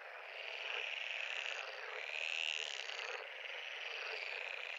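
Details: Pond frogs calling together in a thick, steady wall of buzzy trills that swells around the middle, a brighter drawn-out note rising above the mass.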